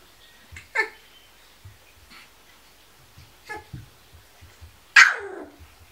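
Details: Kuvasz pups on day sixteen, with a couple of faint squeaks early on and one loud, sharp yelp near the end, over soft rhythmic low thumps.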